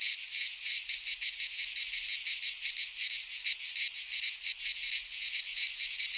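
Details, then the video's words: Cicadas singing in midsummer in a Greek pine forest: a dense, loud, high-pitched buzzing chorus, steady and unbroken, with fast rhythmic pulsing running throughout; no other animals or people audible. "Cicadas singing in midsummer - Nature sounds from the Greek fauna - Sounds of cicadas"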